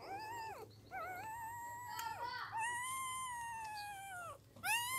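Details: Newborn puppies with eyes not yet open: a long, steady, tonal whine held for several seconds, falling away at its end, then a fresh cry starting, over a faint low hum.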